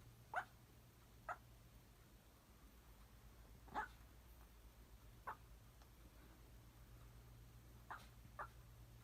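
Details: Papillon puppy asleep, giving faint, brief squeaky yelps at uneven intervals, about six in nine seconds, with a steady low hum behind.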